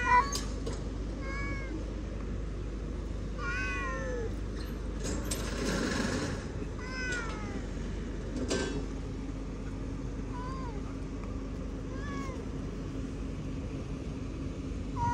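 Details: Domestic cat meowing repeatedly: short rising-falling harmonic mews spaced a few seconds apart across the recording, with occasional clicks and a noisy rustling burst midway over a steady low hum.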